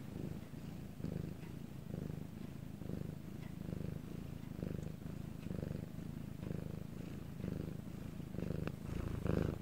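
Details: Cat Bangul's purr captured at night in Korea when all was quiet; steady grainy low rumble with breathing pulses about every 0.8 seconds, growing a little louder toward the end, faint clicks in the background.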